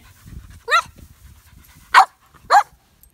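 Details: Samson, a baby Boxer, during a training session: a high puppy yelp with stacked harmonics, then two sharp, loud barks about half a second apart, over a low indoor background.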